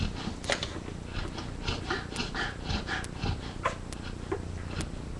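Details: Sleeping yellow Labrador Retriever mother snoring as two puppies nurse from her, with another dog asleep nearby; rough, low snorts and breaths about two per second, mixed with soft puppy suckling sounds.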